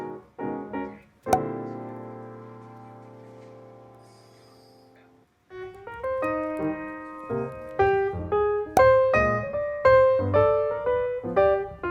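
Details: Piano music plays throughout in a small room, with no animal sounds heard.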